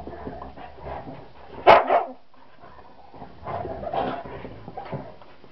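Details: Young female Border Terrier Bnau pestering Nanook, a very tolerant Husky: one sharp, loud bark with a quick second yelp, then softer, muffled grumbling vocal sounds over quiet indoor background.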